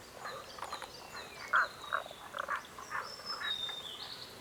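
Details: A chorus of frogs, with bursts of quick rattling croaks rising and falling, one louder croak near the middle, and high whistled bird calls drawn out overhead.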